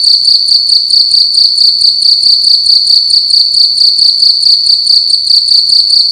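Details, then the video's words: Loud night-time cricket chirping in a room, a piercing high trill pulsed about 136 times a minute, regular and continuous, the only sound present. "Cricket making loud sounds at night in a room"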